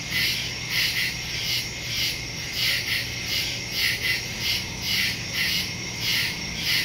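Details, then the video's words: Crickets calling at night in the woods, September 2, 2023, phone recording with Shure MV88+ stereo microphone; rhythmic high-pitched chirp pulses about twice a second layered over a steady trilling drone. "Crickets in the woods at night"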